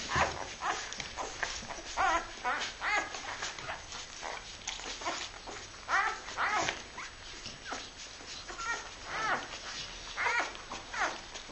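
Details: Labrador Retriever puppies from a litter born 23 February 2012: many overlapping high, thin whimpers and squeaks, short and rapid, rising and falling in a near-continuous chorus through the whole recording.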